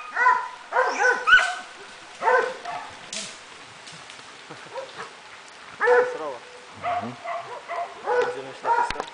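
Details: Swiss Hound working on wild boar, barking in irregular ringing bursts separated by longer gaps, some barks higher and yelping, with faint voices and rustling in the background.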